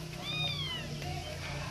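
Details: Persian cat making a single clear, high meow that rises slightly then slides down over a steady low hum in the background.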